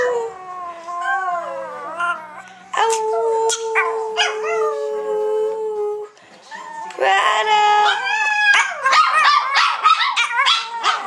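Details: Prada, a seven-year-old female Chihuahua, sings with her sisters Tinkerbell and Dasha, three pet dogs together. Wavering, rising and falling howls overlap, with one long steady held note in the middle and a burst of quick yipping howls near the end.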